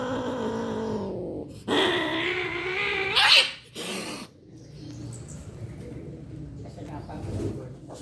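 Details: Cats mating and calling out; a long wavering, moaning yowl that slides upward in pitch over about three seconds and breaks into a shrill screech, followed by rustling and low background noise.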